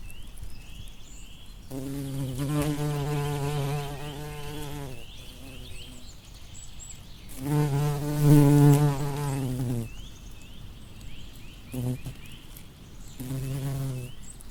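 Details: Bumblebee buzzing among flowers: a low, droning hum in three passes of about three, two and one seconds, swelling as it nears, with faint repeated rising chirps of small birds in the background.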